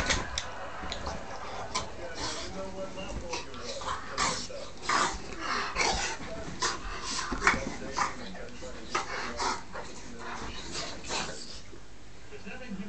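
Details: Poppy, a Dogue de Bordeaux or French mastiff, makes a run of short, irregular bursts of sound, roughly one every second or two, mixed with human voices and room noise.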